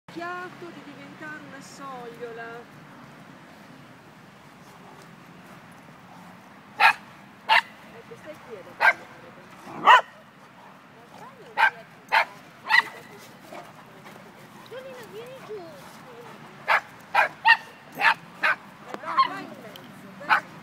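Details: Dog heard in an Irish Wolfhound and Dogo Argentino encounter; human speech opens the recording, then sharp barks arrive from about seven seconds on, singly and in quick clusters, over a low background murmur.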